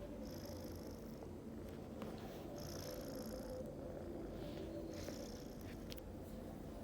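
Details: Snoring of a household pet cat, heard as a continuous deep, rough rumble with quick, irregular pulsing texture, while thin high-pitched electronic-sounding whines come and go above it.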